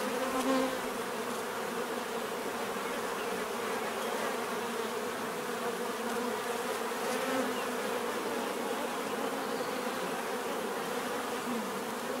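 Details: Continuous bee buzzing forms an even, layered hum. Individual insects drift nearer and farther, so the pitch wavers slightly against the constant background drone.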